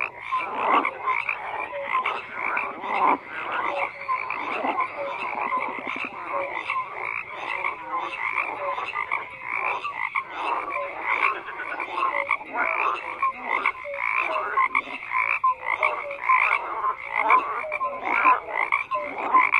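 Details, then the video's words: Frogs croaking in a dense, continuous chorus, many overlapping callers producing rapid raspy pulses and short tonal notes mid-pitched, steady loudness throughout with no other clear sounds. "FROGS CROAKING"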